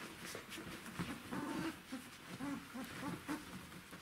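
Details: Czechoslovakian Wolfdog puppies, 12 days old, from the litter of Orizon and Rahan, recorded indoors on 3 December 2020. Soft, low whimpering grunts come in short bursts, some slightly wavering, over a quiet room hiss.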